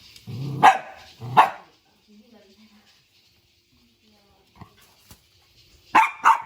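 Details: Puppies confused by an invisible wall set up for them bark in two sharp pairs, one pair near the start and another near the end, with a long hush and a few faint taps and soft sounds between.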